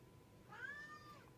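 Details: Pet domestic cat indoors giving a single clear meow that rises sharply, then slides gently downward over nearly a second, while a person softly coaxes it to come over.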